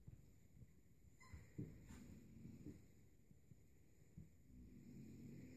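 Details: Kuvasz-Golden Retriever puppies, about three weeks old, playing together on 3 June 2014; low rough growling rumbles come in short bursts, with a couple of sharp knocks and one brief higher squeak.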